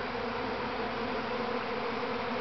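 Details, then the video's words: Swarming honey bees, the first swarm from a mother hive at Grass Lake Sanctuary, Manchester, Michigan, 13 May 2012, make a loud, uniform droning buzz that holds steady throughout. "Honey Bee Swarm"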